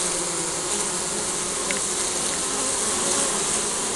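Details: Spring beehive of honey bees, captured with a compact camera: continuous many-winged droning, an even hum layered over bright hiss, unbroken for the whole stretch, with a faint tick near the middle.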